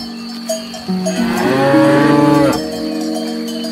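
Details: A herd of cows eating grass. One full, swelling moo lasts about a second and a half, rising in strength before cutting off, against a constant background of ringing cowbells.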